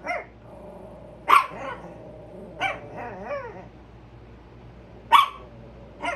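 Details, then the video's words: Carmen and Tia, a pair of Chihuahuas, bark at a squirrel while on alert: a few spaced, shrill yaps, one with a wavering whine-like tail, separated by quiet gaps over a low background hum. "Chihuahuas Barking at Squirrel"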